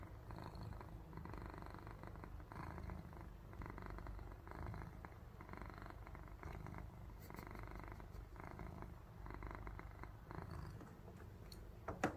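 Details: Domestic cat purring in its sleep, the sound resembling snoring: low vibrating rumble in steady repeating breath cycles over several seconds, with a brief soft click near the end, quiet room otherwise.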